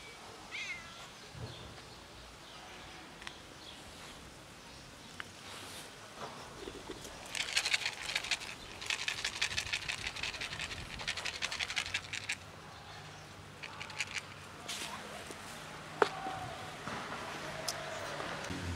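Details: Ginger cat meowing loudly while people ignore it: several drawn-out, rising-then-falling meows spread across the recording, with a burst of rustling and clattering noise in the middle and faint background sounds throughout.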